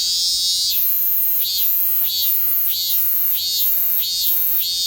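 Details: Robust cicada (minmin-zemi) singing while perched on a Kousa dogwood in summer: loud buzzy pulses repeated about every 0.65 seconds, each swelling bright and high, over a steady ringing drone with faint lower tones.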